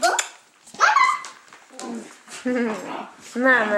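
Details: Greenbow, a 12-week-old, 30-pound golden retriever/German Shepherd mix puppy in foster care in Troy, Illinois, available for adoption through Partners 4 Pets, plays with his pals, giving a run of short, tonal, whiny yelps and rising-then-falling barks indoors.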